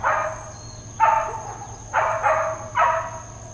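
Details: Uncontrolled neighbourhood dog barking in Hawaiian Paradise Park, Hawaii, recorded September 2, 2024: four rough, rasping barks in under four seconds, the last two in a quick pair, with a constant thin high-pitched whine behind.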